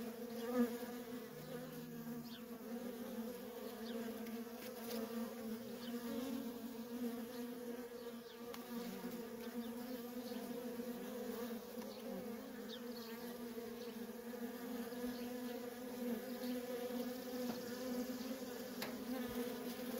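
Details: Feral honey bee colony with worker bees streaming in and out nonstop, producing a constant layered hum; a brief louder tick near the start, then the dense buzzing stays steady and unbroken.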